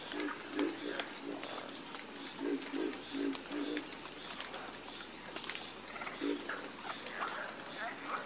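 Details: Chorus of frogs, with one caller giving series of low throaty croaks in quick runs of three or four, others answering faintly, beneath a steady shrill insect drone.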